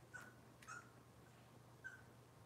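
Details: Young Cavalier King Charles Spaniel puppies of Robin's litter, filmed indoors on a kitchen livestream, give three brief high squeaks spaced about a second apart over a low constant hum.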